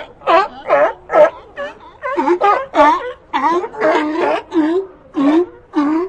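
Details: Sea lions calling in a rapid series of harsh, wavering barks and bleats, each burst rising then falling, about a dozen across a few seconds, with no other sounds standing out.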